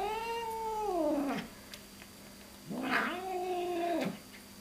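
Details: Domestic cat making a weird, crazy noise indoors: two long, drawn-out moaning yowls with clear harmonics, the first sliding downward and fading, the second rising then held steady before dropping off, separated by a quiet pause.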